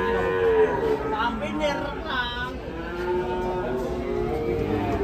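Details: Cow that ran wild while being unloaded from a truck, ending up in a ditch: a short moo opens, followed by further lowing calls over background human voices.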